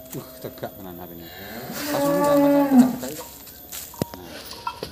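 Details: Cattle at a smallholder farm in Grabag, Magelang, Indonesia, during a weight check of Limousin and Simmental beef cattle; one drawn-out harmonic moo around two seconds long, with clatter and farmyard background noise.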